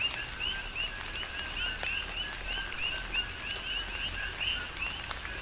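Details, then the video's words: Big Island, Hawaii: coqui frogs chorusing in tropical rain, several clear upward-sweeping chirps a second standing out over a steady two-tone chorus, drops of rain ticking in the background. "Tropical Rain & Coqui"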